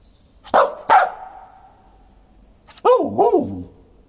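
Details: A Samoyed dog gives two sharp barks, then a pause, then a wavering, up-and-down woo-woo vocalization, like a talking howl, in quiet surroundings.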